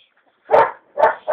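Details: Belgian Malinois puppy, still with milk teeth, barking during bite training with a bite pillow held by a female trainer; three loud, short, harsh barks, the first alone, then two close together near the end.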